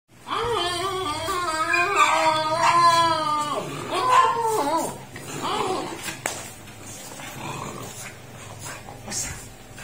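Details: French Bulldog vocalizing while playing with its owner indoors: a run of drawn-out, wavering whines and howl-like moans rising and falling over about six seconds, then fading into quieter rustling and soft background noise.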